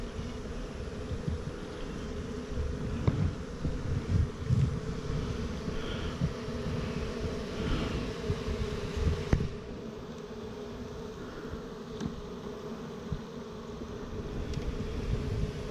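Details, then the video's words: Hive of honey bees recorded 28 September 2018: a continuous dense buzzing drone, mid-low and even, rising and easing slightly in loudness, with occasional light knocks and faint wind. "Newest Bee Hive, Bees"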